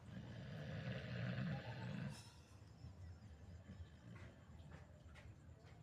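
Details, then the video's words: Sleeping pit bull giving a deep, gravelly snore that grows louder over two seconds and cuts off, followed by quieter breathing and faint background noise. "Hasta yo me asusté con mi ronquidos"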